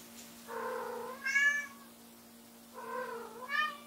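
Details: Two long wailing meows, each swelling to a higher-pitched end, from a white female Munchkin named Lamu who keeps crying loudly when her owner leaves the room, with a faint constant household hum underneath.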